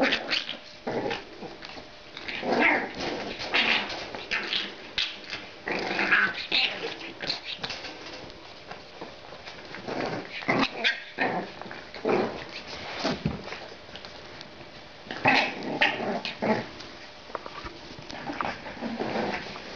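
French Bulldog puppies at play, trading gruff little growls, grumbles and yips in quick bursts.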